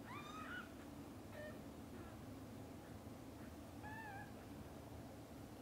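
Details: Domestic mother cat calls to her playing and sleeping kittens at lunch time: a few soft, bending meows, one near the start, a brief chirp after a second, and a wavering meow near four seconds, over steady low indoor hum.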